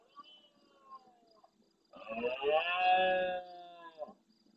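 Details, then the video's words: Large rutting red deer stag roaring intensely at nightfall near the camera in the Doñana National Park marsh at El Rocío, Almonte, Huelva, Spain, answering more distant stags. Faint drawn-out moans, then a loud, harsh, sustained harmonic bellow lasting over a second. "Berrea nocturna en primer plano"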